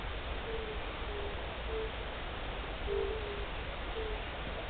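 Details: First call of the season from a European fire-bellied toad (Bombina bombina), 29 March 2014: soft, low, hooting 'oonk' notes at slow, uneven intervals.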